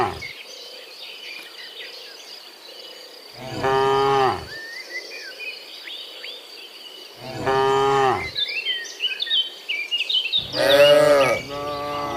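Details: Afternoon walk of dozens of cows from the fields back to the pen; three deep, harmonic moos, the last two close together, with bird chirps and a constant insect whine filling the gaps.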